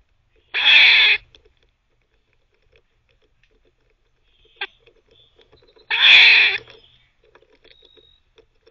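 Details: A teething squirrel barking between chews: two long raspy broadband bursts about five seconds apart, with soft clicking and scratching in the pauses.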